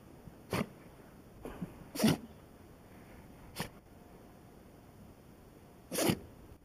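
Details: A Shiba Inu dog sneezing several times in a row, short sharp bursts of noise near the half-second, two-second, three-and-a-half-second and six-second marks, the last loudest and longest, over a quiet indoor background with a few soft words afterward.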